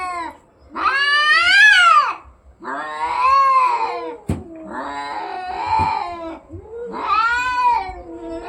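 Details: Fighting cats caterwauling: four loud, drawn-out yowls, each swelling upward then sagging, separated by brief gaps, with a sharp click between the second and third.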